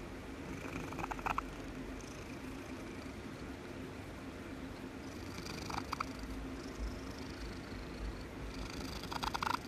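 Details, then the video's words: Domestic cat purring close up, a steady low rumbling drone with rhythmic pulses, interrupted by occasional soft rustling bursts. "Cat purring compilation"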